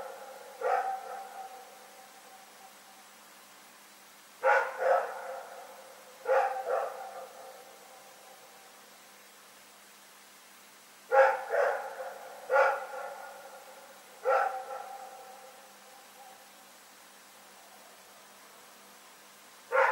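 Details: Rex the dog barking at night, recorded February 27, 2018: harmonic barks in short bursts of one to three, separated by quiet gaps of a few seconds, each trailing off in a faint echo against a still background.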